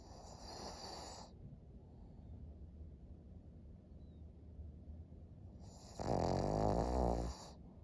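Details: Maria, a senior thirteen-year-old fawn female pug in Japan, snoring: a loud broadband snore from about six to seven seconds, with fainter breathy snuffles earlier over a low steady hum.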